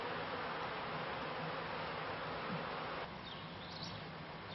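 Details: Buzzing of beekeepers' honey bees at the turn of the 1995 to 1996 season, a dense even hum that drops slightly in level after three seconds, with a few faint high chirps near the end.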